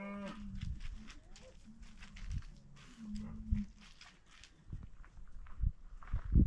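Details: Cattle on a small farm in Montana's Bitterroot Valley, the neighbor's cows just put in the bottom pasture, brought up this time of year to calve; low, drawn-out moos early on, then soft clicks and rustling.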